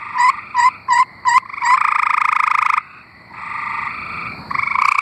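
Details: Tree frogs in Arkansas, several calling. Four short, evenly spaced chirping notes lead into a loud, buzzy pulsed trill lasting about a second, followed by quieter overlapping trills from other frogs.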